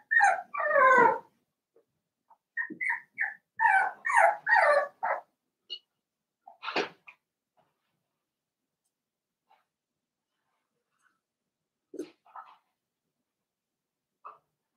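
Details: Seven-week-old blenheim Cavalier King Charles Spaniel puppies, a litter of five in a home puppy pen. Rapid bursts of shrill yelps and whimpers come in the first five seconds. Sparse, softer squeaks follow with long quiet gaps between them.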